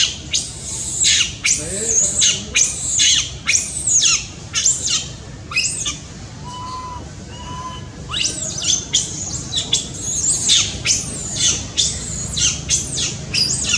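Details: A baby monkey cries very loudly for its mother's care: shrill, high screams come in quick bursts of about one a second, with short gaps and a couple of lower whistled notes near the middle.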